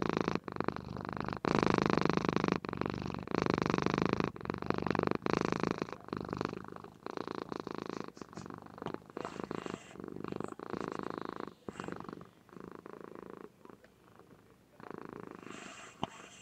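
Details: A sleeping pet cat, a female, purrs contentedly indoors, caught on a webcam. Loud, continuous throbbing purr with rapid pulsing, breath cycles marked by short pauses; the purr grows softer and more broken toward the end.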